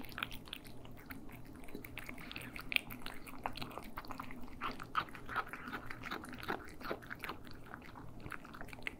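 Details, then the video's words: Stereo ASMR recording of cats eating: steady wet chewing and crunchy bites in quick irregular succession, slightly softer and lower than sharp crunches, with a quiet background hum indoors. "ASMR Cats Eating"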